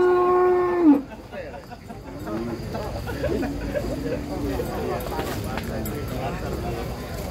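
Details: A giant bull being unloaded from a truck, with one animal raging, gives a loud steady tonal moo of about one second that slides downward at the end. Men then talk over background crowd noise.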